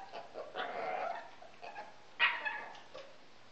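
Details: Pekingese dog, a male house pet, doing the early-morning or evening routine his owners call "yoga"; a drawn-out whining moan followed by a sharper yelp and a brief soft whimper.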